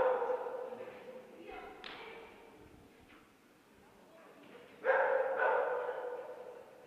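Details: Micki, a two-year-old Bearded Collie, at her third A1 agility tournament; an opening bark, thuds and scattered noise mid-way, then a burst of loud, repeated barks in the final two seconds.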